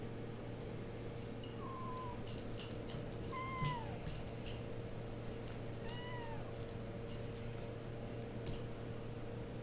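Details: RagaMuffin kittens of the Vikings litter at eight weeks old, indoors: three thin, high meows, the first drawn out and slightly falling, the next two rising then dropping, spread over about five seconds, amid soft rustling and clicks of handling.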